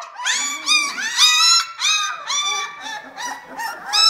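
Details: Litter of 18-day-old Vizsla puppies from a kennel gives a rapid run of high, squeaky whimpers, each rising then sliding down, about two or three per second, overlapping at times, with no other clear sounds.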